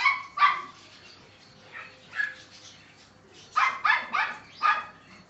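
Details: A seven-week-old male Neapolitan Mastiff puppy gives scattered shrill yelps and barks, a single bark first, then a few spaced yips, ending in a quick run of three or four barks.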